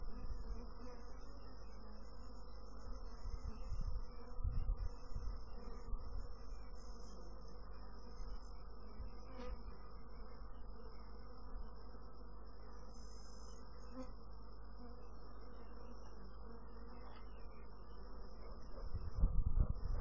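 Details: Long, steady, low humming of bees with a faint high whine throughout. The drone grows louder and rougher in the final second.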